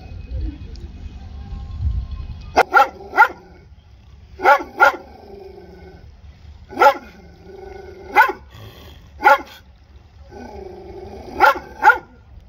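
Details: Dog barking in sharp paired barks, mostly two in quick succession, with pauses of one to two seconds between pairs over low background rumble; a louder low noise before the barking starts.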